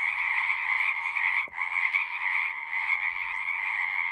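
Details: Frogs singing as a relaxing nature sound: a dense, unbroken chorus of buzzy, trilled croaks with two bright pitch bands, the sound briefly dipping once near the middle before the steady wall of calls resumes.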